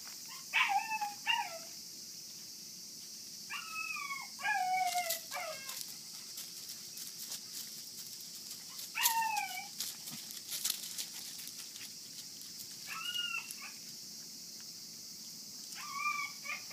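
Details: Forty-day-old Kishu x Shikoku cross puppies from a single litter whimper and yip in short high bursts, several stacked squeals per burst, repeating every few seconds against a steady insect-like hiss.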